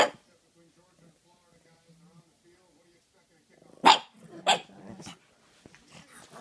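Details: Female pug acting as if she were an attack dog: two sharp, loud barks about half a second apart, with a person talking before and after and quiet room sounds.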